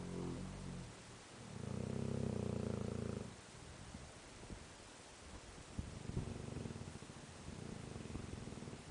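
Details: A Tosa dog asleep, giving a hearty snore: one strong, deep, rough snore lasting nearly two seconds, then a fainter, drawn-out one a few seconds later. Other dogs nearby are also fast asleep.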